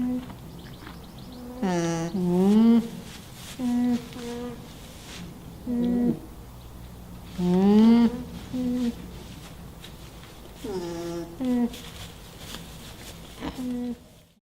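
An alpaca hums softly, a low nasal tone that dips and rises, repeated every few seconds.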